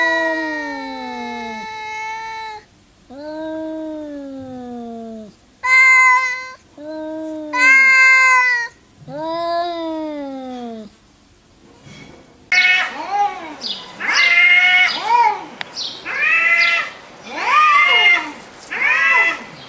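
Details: Domestic cats making loud, drawn-out meows back and forth, each call a harmonic wail bending down in pitch; the second half turns higher and faster, with short arched cries repeated about once a second.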